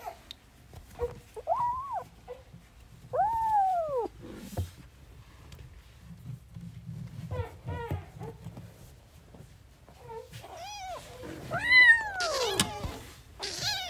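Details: Newborn kittens at play: thin meows come and go between soft rustling and knocking, growing louder and more frequent toward the end.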